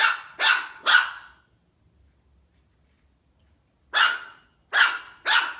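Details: A Maltese puppy barks at its own reflection in a mirror, giving two quick bursts of three high, sharp yapping barks.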